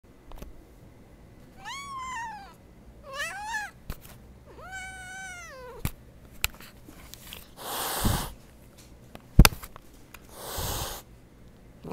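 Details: An unhappy domestic cat gives three drawn-out, harmonic meows, each rising then falling, spaced about a second and a half apart, followed by rustling and bursts of handling noise indoors.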